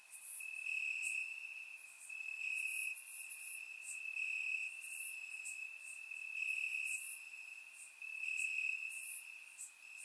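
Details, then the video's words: Bulgarian summer night, warm, with crickets chirping in grass: a steady high trill swelling in repeated pulses about every second, overlaid by regular sharp higher chirps forming a dense insect chorus, surround-recorded. "Cricket Sounds - Crickets Chirping at Night"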